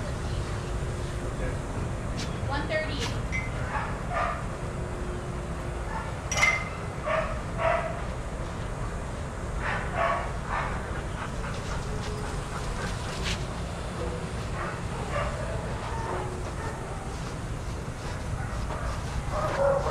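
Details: Dogs playing, barking and running together at a daycare; scattered short barks and yips over steady low background rumble, with a few sharper bursts near the middle and some human voices mixed in.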